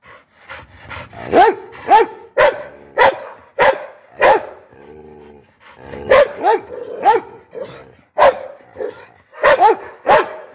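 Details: American Pit Bull Terrier barking angrily: forceful barks roughly every half second in clusters, broken midway by a low, rough growl before another run of barks.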